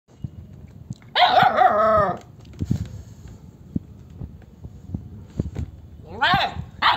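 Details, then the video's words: A 57-day-old German Shepherd puppy gives a high, yelping bark, then a second shorter one after a pause. "57 Days German Shepherd Puppy Barking"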